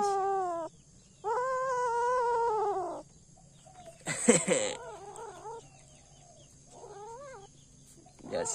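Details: Kittens eating a rat that their mother cat gave them, not wanting to be disturbed; one long drawn-out harmonic meow lasts about two seconds, then a sharp clatter and several shorter, wavering meows follow, with a high steady hum underneath.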